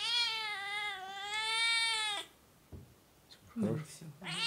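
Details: Oriental or Siamese cat meowing in a long, strained, wavering wail of over two seconds that rises toward its end, followed by a woman's brief speech and a soft knock indoors.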